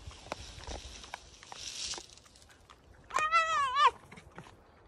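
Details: Pet fox kept at home, complaining, gives one short harmonic whining call lasting under a second, wavering in pitch, after a stretch of quiet background noise and rustling; a woman speaks soothingly around it.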